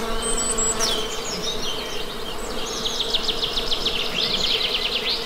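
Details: Honey bee hum drones steadily underneath, while a songbird delivers rapid, repeated high chirping notes, especially dense in the second half.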